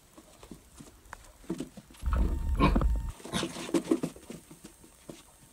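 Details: Dog reacting to its own reflection in a mirror: a low, rough, rumbling growl of about a second in the middle, then several short harsh grunting sounds over a quiet indoor background.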